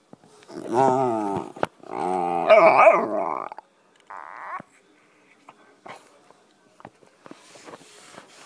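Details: Black Labrador Retriever puppy getting loud while under a couch; two drawn-out wavering harmonic howl-like whines with bending pitch, then scattered quiet sounds, and a man asking what the problem is.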